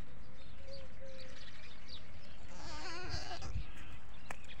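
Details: Goats on a village goat farm, one giving a wavering, quavering bleat near the middle, amid dense rumbling background noise and cooing birds.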